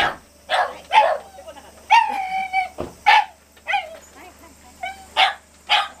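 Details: Sharp, high yelps from a Shiba Inu, roughly one every second, mixed with a longer quavering whine near the middle, over a faint mechanical hum.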